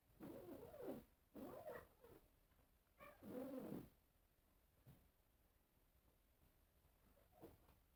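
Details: Cats at a mirror give a run of drawn-out, bending meows: two moaning calls close together, a third longer arched wail, then only faint traces over a low hiss.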